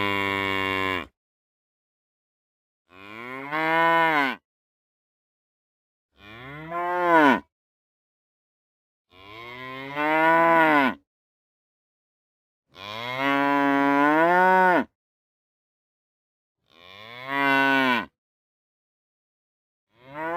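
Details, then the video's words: Real cows mooing: six long, loud, harmonic moos, each rising then falling in pitch, separated by pauses of one to two seconds, with no other sounds. "Real Cow Sounds | Cows Mooing"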